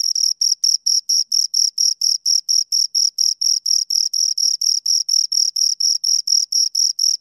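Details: Two crickets heard right at the ear, producing a relentless regular series of high metallic chirps, about four per second, each with a faint higher overtone, in an otherwise quiet setting.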